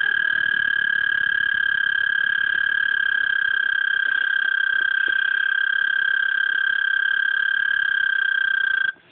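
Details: A male frog in a garden repeatedly gives a loud, unbroken, high trill that holds one steady pitch to attract females.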